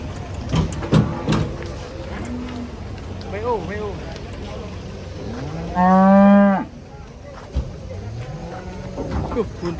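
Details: Cattle unloaded from a truck in Indonesia give a loud, drawn-out moo that rises and then falls, lasting about a second. Lower lowing and scattered voices and clatter come before and after it.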